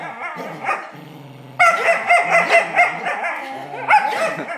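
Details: Black Smooth Collie named Charlie vocalising during a tug game, starting with low growling and soft whines, then breaking into sustained, high, wavering whines and yips after a sudden louder onset.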